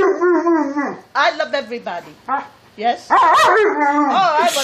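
An Alaskan Malamute makes wavering, howl-like 'talking' sounds in short bursts that rise and fall.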